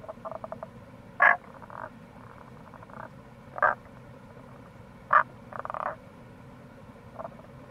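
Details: Tago's brown frog in the wild near a gorge by the Kamo River in Itoshima, Fukuoka, Japan, in April: three sharp, clipped croaks roughly two seconds apart, with quieter stuttering pulsed series between them and continuous low rushing noise.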